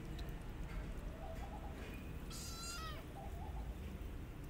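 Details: Kittens in the care of a disabled mother cat with five kittens, one of them adopted; a high, thin meow slides downward, with faint softer mews around it over steady low background rumble.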